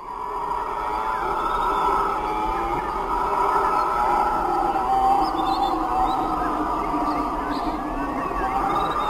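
Howler monkeys roar in a deep, continuous, droning chorus that rises and falls like distant wind.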